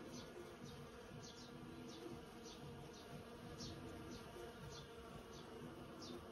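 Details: Swarm of some hundred bees busy in a persimmon tree: continuous low buzzing drone from many insects at once, even in loudness throughout, with short high-pitched chirps repeating softly behind it.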